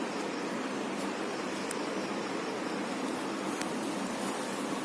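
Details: Steady broadband hiss like wind or surf with a few faint clicks, and no animal sound.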